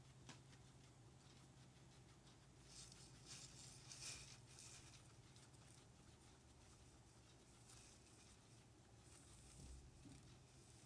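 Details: Guinea pigs Ozzy, Ginger, Speedy and Daisy munching on a home piggy cam. Quiet, patchy crunching and nibbling in uneven bursts, loudest near the middle, over a constant low electrical hum.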